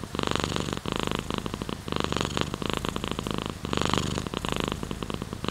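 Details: Pet cat purring right by the recorder, a coarse buzzing rumble pulsing in breath-length phrases of about a second, separated by short quiet dips.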